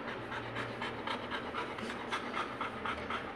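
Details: Pet Labrador Retriever Goku panting steadily indoors, about four quick breathy huffs per second in an even rhythm, in a playful, mischievous mood; a person's voice is faint in the background.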